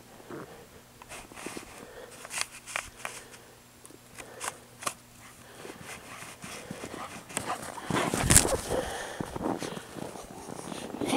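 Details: Boreas, a male Alaskan dog that is part St. Bernard, Akita and Husky, romps in fresh snow at Chistochina, Alaska, on 29 November 2016: quick irregular panting mixed with crunching steps in snow, a steady low hum, and a louder scuffle near the end.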